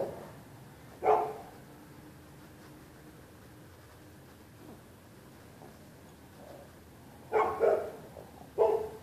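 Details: Neighbors' dogs barking at night, on February 2, 2013, at anyone using the public sidewalk on either side of the street: a single sharp bark, a quiet pause, then a quick cluster of three harsh barks near the end.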